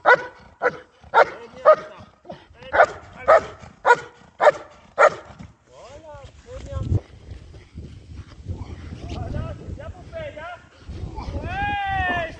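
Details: Barks from a German Shepherd during IGP competition training come in a rapid regular series for five seconds. Whining, mixed sounds and a person's voice follow.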